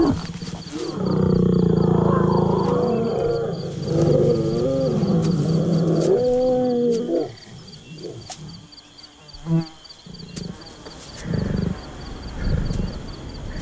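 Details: Lion and lioness from the savanna, a pair courting for several days and seeking a quiet place to mate; deep, strained, harmonic roaring grunts for about seven seconds, then quieter rumbles and scattered thuds, possibly with faint background music.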